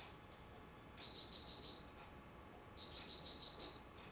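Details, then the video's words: Autumn insect recorded on 19 September 2009, giving two high, shrill pulsed trills about a second long, each a quick run of bright chirps separated by nearly two seconds of quiet, over a soft steady background hiss. "秋 虫の鳴き声"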